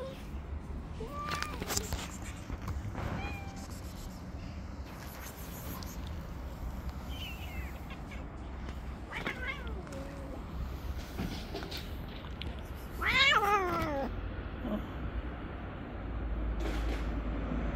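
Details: Street setting with a jealous tabby cat pushing away other cats: several short, scattered meows, then one loud, strongly harmonic meow that falls in pitch near the end, amid rustling, clicks and low background rumble.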